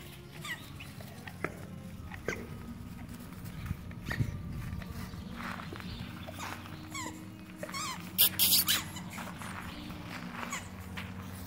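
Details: Five-week-old Golden Retriever puppies give thin, high squeaks and whimpers over a steady low hum.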